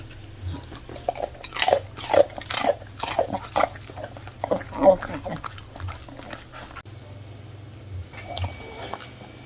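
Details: Crisp, loud crunching from a one-year-old miniature bull terrier biting into crispy baked fruit in a small room, several sharp bites in quick succession early on, then quieter chewing and a low background hum.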